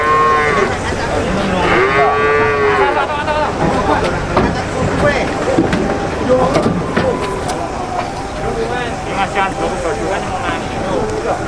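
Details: Cows at the Boyolali cattle market in Indonesia during truck loading, opening with two loud, drawn-out moos that bend up then down, followed by fainter lowing, shouting people and steady crowd noise.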